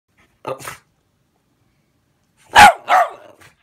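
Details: Boston Terriers reacting to a fly swatter, which they dislike, give a soft bark, then two loud, sharp barks about half a second apart.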